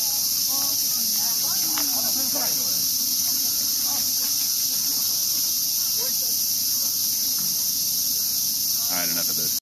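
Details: Summer cicadas in Ueno Park, Tokyo, while a boy tries to catch them: an unbroken high-pitched hissing drone holds throughout, overlaid by scattered speech and brief exclamations from people nearby.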